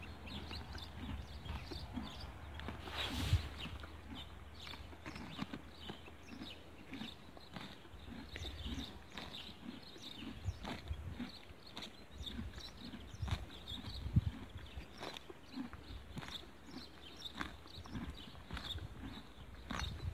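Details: Horse eating grass outdoors, a steady stream of sharp crunching bites and chewing clicks throughout, with a low rural background hum and a brief louder rustle near the start.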